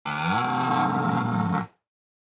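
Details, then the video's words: Red deer stag roaring: one loud, harsh, drawn-out bellow lasting about one and a half seconds, rich in low harmonics, steady then cut off abruptly, with nothing else audible. "Red stag roar"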